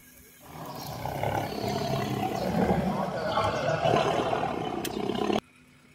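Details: A tiger gives a deep, rough, sustained roar lasting about five seconds.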